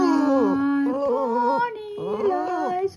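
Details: A Boston Terrier gives drawn-out, wavering howls that slide up and down in pitch, howling along as a person sings "My Bonnie Lies Over the Ocean," the two voices overlapping throughout.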